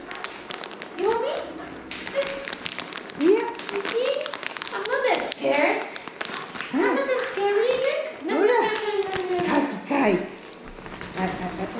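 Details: Kaki-Maru the Shiba Inu, 4 years old, receiving combination and kennel cough vaccines in Rotterdam, Netherlands, on 22 November 2023. He gives repeated rising-then-falling yelping screams every second or two, amid tapping, clatter and people talking.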